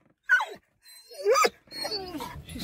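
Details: Dog in a car barking at other dogs seen outside: two sharp, high yelping barks a second apart, followed by a drawn-out whining cry, in a small enclosed space.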